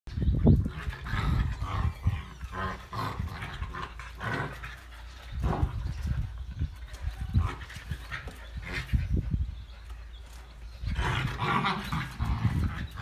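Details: Pet dog and puppy in a friendly play fight: low rumbling growls and snarls with scuffling thuds and breathy panting throughout, louder bursts near the start and again toward the end.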